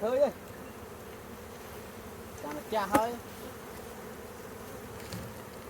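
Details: Honey bees keep up a constant low buzzing drone while short bursts of Khmer speech break in at the start and around the middle.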